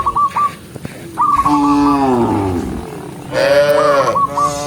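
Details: A cow being herded in the morning along a green forest road gives two long, drawn-out moos, the first sliding lower at its end, while small birds chirp in short bursts around them.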